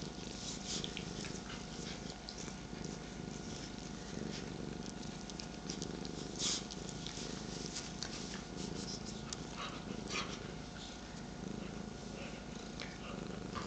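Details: Domestic cats purring in the morning, a 13-year-old and an 8-month-old plus a third cat on a lap: steady low pulsing rumble throughout, with light rustling and soft clicks on top.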